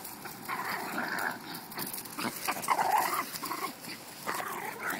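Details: Puppies playing roughly together; mid-pitched growling and whiny vocal bursts come and go in waves, with scuffling noise throughout.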